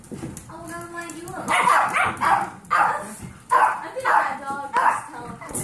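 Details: Dogs at a foster home: Kirby, an 8-year-old Pomeranian foster dog, with 8-week-old Golden Retriever mix foster puppies. A drawn-out, tonal whine opens, then short, bright yips and barks come in repeated bursts, with human speech alongside.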